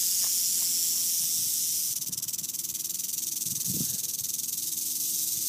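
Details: Red diamond rattlesnake met in San Diego in May 2012, breathing in to puff up its body: a steady, airy broadband hiss that turns finely pulsed and slightly buzzy after two seconds, with a few soft low thumps underneath.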